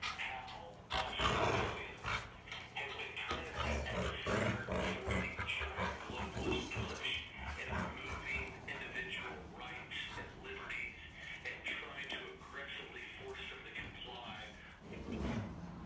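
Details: Two Rottweilers growl in low, rumbling bursts while playing tug-of-war, as a person talks over them.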